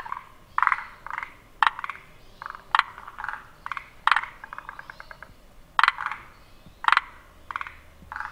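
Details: Forest green tree frog (モリアオガエル) calling, with its vocal sac inflated in three pulses per call. Short clicking, rattling croaks in quick bursts of several pulses, repeated about once a second, with more frogs calling faintly behind.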